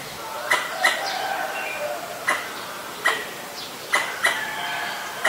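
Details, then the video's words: Pallas's squirrel in Ubon Ratchathani, Thailand, 1 January 2023, calling at danger, recorded on a Nikon P1000: sharp, clicking chucks, often in close pairs, spaced irregularly, with faint bird notes in the background. "กระรอกร้องเมื่อมีภัย Squirrel sing when there is danger."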